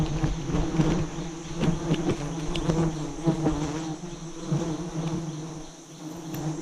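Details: Giant honey bees at a nest roughly forty metres up, during a forest harvest by a bee-hunting team; a dense, continuous low drone with rough pulsing texture throughout, with faint rustling and knocks.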